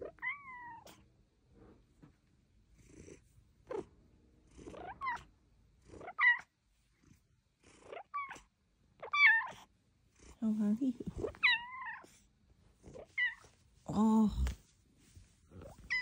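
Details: Luxey Lou, a female cat who sounds tiny for her large size, chats and chirps indoors: a string of short, high, tinny meows and trilled chirps, each rising then falling, spaced a second or two apart with quiet gaps.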